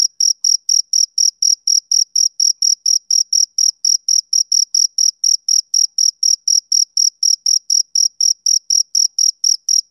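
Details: Summer-evening male cricket giving a steady train of around forty shrill, high-pitched chirps over ten seconds, each pulse crisp and equal in loudness, with no background noise.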